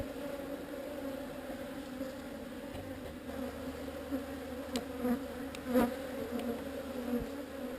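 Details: Honey bees of a swarm under relocation hum continuously in a dense, level drone with a layered upper tone, broken briefly by a few faint taps and a louder bump near the end.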